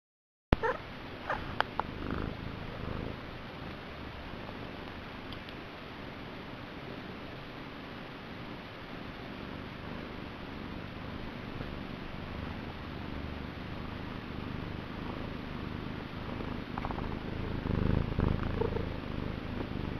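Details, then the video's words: Male pet cat purring vigorously: a continuous low, rumbling throb that fills the twenty seconds, with a few brief higher sounds near the start and a louder swell of rumbling toward the end. "Listen to his vigorous curr and funny mew!"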